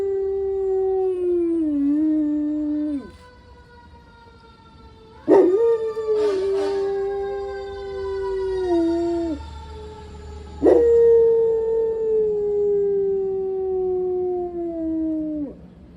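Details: San Diego pet dog howling with passing fire engine sirens: three long drawn-out howls, each starting with an abrupt rising scoop, then holding a steady tone that sags gradually downward before breaking off, with short quiet gaps between.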